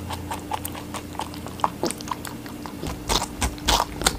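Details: Rabbit munching on watermelon indoors: rapid, uneven wet crunches and nibbling clicks, growing louder and juicier toward the end, over a low steady electrical hum.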